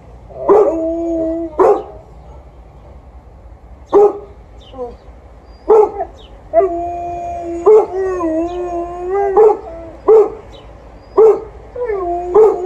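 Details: Golden Retriever barking outdoors while an Alaskan Malamute howls along. Sharp, loud barks come about every one to two seconds, about ten in all. Between them, long wavering howls rise and bend in pitch.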